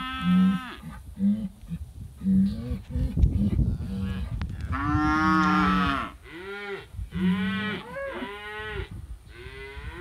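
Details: Excited British White cow herd in a trap area, stirred up by an old hide on the hay ring, July 2013: overlapping calls from several cattle, short low moos alternating with long higher arched bellows, with rustling noise in between.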